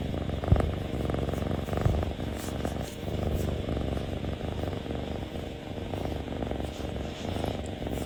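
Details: Close-up kitten giving a continuous low rumbling purr, rhythmic in-and-out pulses with a couple of faint clicks early on and soft background hiss.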